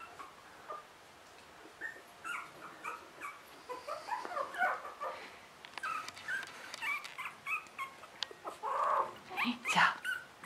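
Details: Russian Toy puppies, three weeks old, squeaking and whimpering together in overlapping high, wavering cries that grow louder and busier toward the end, with soft rustling between calls.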